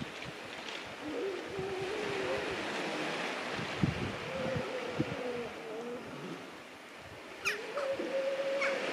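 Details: Grey seal colony hauled out on a beach on a winter morning, several drawn-out tonal wails, some held for a second or more, sounding over surf noise; a sharp higher bird-like cry breaks in near the end.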